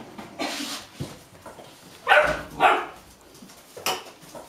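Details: Hungry 8½-week-old Golden Retriever puppies in Haute-Savoie, France, in January 2013, hop up and down, giving short, eager barks and yips with impatience as their meal is prepared.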